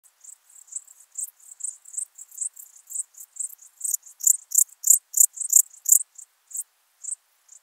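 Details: Alpine dark bush-cricket singing at Berchtesgaden, Germany, on 6 September 2018, captured with an ultrasound detector: short high, dry chirps repeated about three per second, growing louder toward the middle and then thinning out into a few spaced chirps.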